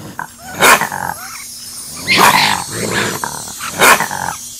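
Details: A male raccoon gives rough, snarling growls in three loud, harsh bursts spaced unevenly across a few seconds, with softer grumbling and rustling between them.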